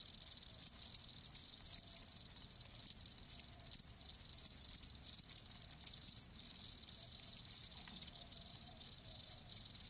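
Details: Quiet, high trilling of live crickets with clearer chirps popping out every second or so above a steady shrill hum.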